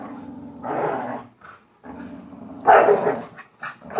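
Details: Two pit bull dogs fighting over a toy in play, indoors; low rumbling growls in two bursts with a sharper bark-like snarl near the end, a woman's voice faintly heard.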